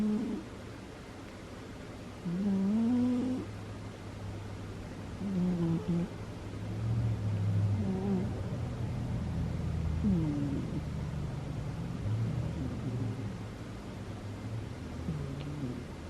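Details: Female cat Butters snoring while asleep: irregular low nasal drones with wavering pitch, some breaths rougher and longer, over a faint steady low hum in a quiet room.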